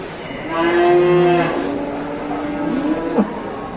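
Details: A large cow or bull at an Indonesian cattle market during unloading; one loud, sustained moo held steady for about a second, then a lower trailing groan, with crowd noise and a sharp bang near the end.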